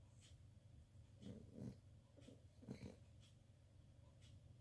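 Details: Sleeping dog snoring indoors: soft, low rumbling breaths with a few louder snorts around the middle, otherwise a steady low murmur in a quiet room.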